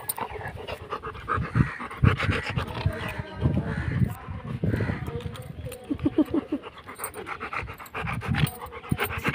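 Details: Labrador Retriever at play, panting in quick breathy bursts that come in uneven runs, with people talking close by throughout.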